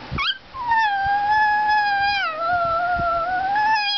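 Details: Greyhound–Chihuahua mix, a talking pet dog, produces a long sustained howl that wavers gently, dips midway and rises again, after a brief rising yelp at the start.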